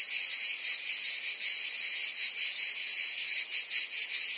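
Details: Brief stretch of summer cicada song from Provence, France: a thick, high electric buzzing from many insects, gently wavering in loudness with fast pulsations.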